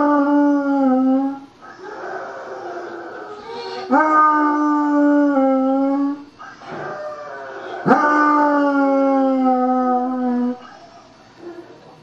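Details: Blind five-year-old basset hound after back surgery howling in a series of drawn-out tonal howls, each starting with an upward scoop then holding and drifting lower, about four seconds apart with softer breathy whines between.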